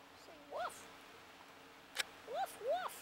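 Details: Two puppies at play, one voice offering to protect its brother, let out a few arched whining yelps, one early and a pair near the end, separated by a sharp click and quiet background.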